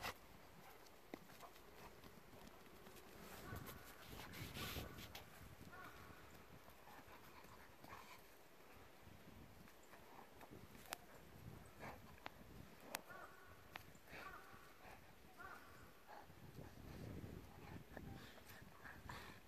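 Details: Two Golden Retriever siblings, KOHAKU, the older sister, and her larger younger brother IBUKI, play-wrestling on March 25; low rough growls and scuffling noises come in bursts over a steady noisy background.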